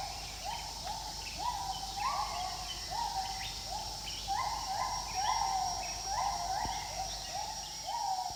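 Several gibbons call together in a chorus of short, upward-sliding whoops that overlap and repeat quickly. A constant high buzzing of insects runs underneath throughout.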